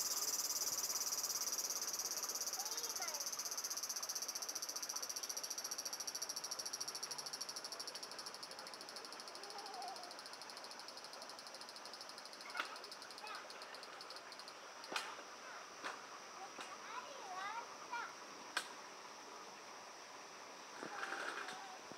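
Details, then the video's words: Japanese cicadas, very loud at first, ringing in a continuous high buzz that gradually quiets down midway as the insects sense someone nearby; scattered clicks, knocks and faint bird chirps follow in the calmer remainder. "Loud Cicadas in Japan"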